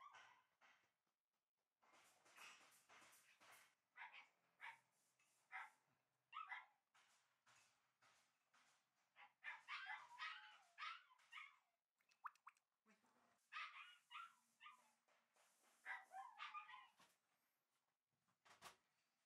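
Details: Pair of young Shiba Inu pups, red and white males raised for exhibition, yapping in quick irregular bursts of shrill barks and yelps, with brief pauses and a low hum between volleys.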